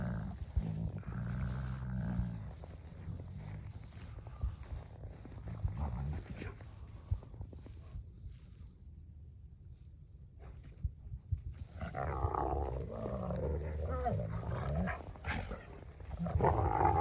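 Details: Wolfdog puppies play-wrestling and jaw sparring, with the smaller one on top. Low rumbling growls and snarls come in bursts at the start and end, with a quieter stretch in the middle; scuffling noises accompany the growls.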